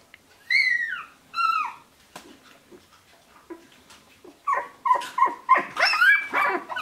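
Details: Shiba Inu puppies from the litter of Ichi and Hime, sixteen days old, born 25 February 2017: high whistled whines sliding downward, two clear ones early, then a burst of short overlapping squeaks and yelps from several pups.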